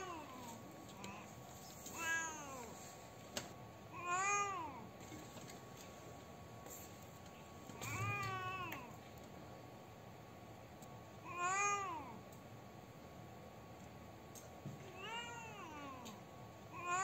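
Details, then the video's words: Sad, crying domestic cat giving long, arching meows with rich harmonics, about five wails spaced two to four seconds apart, each rising then sliding down, against low steady hiss with occasional soft clicks. "Cat Crying Sounds | Original Cat Sounds | Cat Sound MP3 | Cat Sad Sounds | Cat Grief Sounds"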